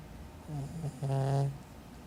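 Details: A pet cat named Caramelosh snores in a small room, a short soft rasp followed by a longer, louder rattling inhale lasting about half a second.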